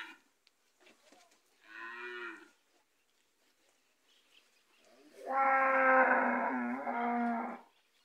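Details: Gyr bulls for sale on a farm in Morazán, El Salvador, three animals: a short harmonic moo, then after a pause a longer, louder, rich moo lasting about two and a half seconds.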